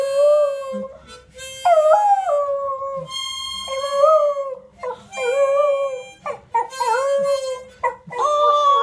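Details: A beagle howls in long, wavering tones that rise and fall, singing alongside a harmonica (mouth-organ).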